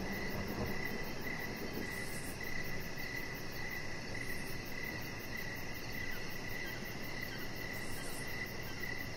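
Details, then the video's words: Evening crickets heard outside by a deck, a clear run of short, evenly spaced chirps, roughly two per second, over a steady high ticking trill and a broad low background hum. "Cricket Sounds"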